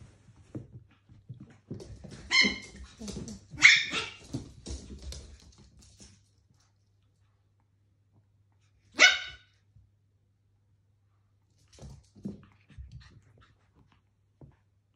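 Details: Two Pomeranians, Cookie and Candy, a male and a female, fighting over a toy indoors: a burst of sharp, high, yappy barks with scuffling, then one lone bark after a pause, and faint snuffles near the end.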